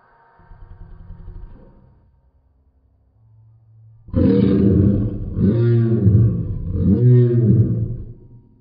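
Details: Great Pyrenees named Lady doing a dinosaur impression: a low rumble first, then three loud, deep, wavering roar-like howls in quick succession, each rising and falling in pitch.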